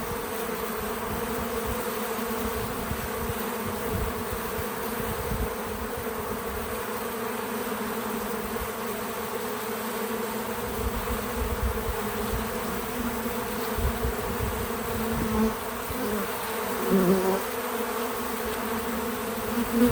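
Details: Bees at a feeder outdoors on a small farm make a steady layered drone that swells slightly toward the end. Short closer buzzes pass by around fifteen and seventeen seconds. Light background rumble, no music.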